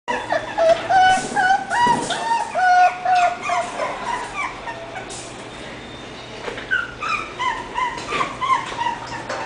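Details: English Bulldog puppy whimpering: high, tonal whines that slide slightly downward, with clear overtones, coming in quick bursts of short cries several times a second, with brief pauses and faint background noise.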